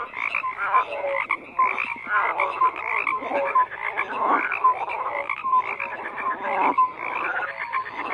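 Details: Dense frog chorus of rapid rattling croaks interlaced with short clear tonal notes, steady and busy throughout.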